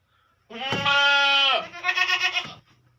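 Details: Female Beetal goat on a goat farm in Hanumangarh, Rajasthan, India, giving a loud, nasal, harmonically rich bleat of about a second, then a shorter wavering second bleat, in a quiet setting.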